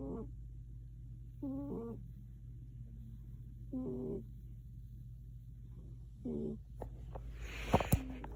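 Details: A cat asleep and snoring, with squeaky, whistling breath sounds that waver in pitch at irregular intervals, a low hum throughout and a couple of sharp clicks near the end.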